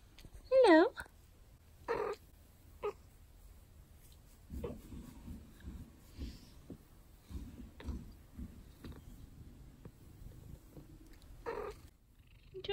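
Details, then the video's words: Pet cat lying in a favourite sunny spot, talking: one loud, wavering meow that rises and falls, then a few shorter faint meows over soft rustling, with a woman's voice speaking to her. "Cute Cat Talking"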